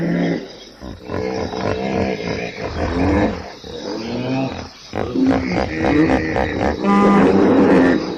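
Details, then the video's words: Hippopotamus honks and mooing bellows, low and harmonic, coming in overlapping waves. They build toward the end into louder, sustained tonal calls, with a faint high hum behind them. "som de hipopótamo, Hippo Sound"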